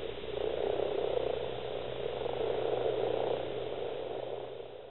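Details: Common frog males calling at breeding, East Kilbride, South Lanarkshire, Scotland, 28 February 2012, a record gathering of 70-plus; rapid low croaks merge into a pulsing purr that rises twice, fading at the end.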